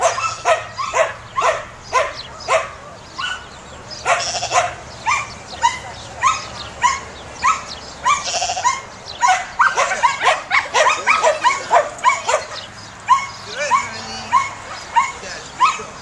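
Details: Samoyed dog herding, barking persistently in a long run of sharp barks, close to two per second at its densest, with brief pauses and a low background hum.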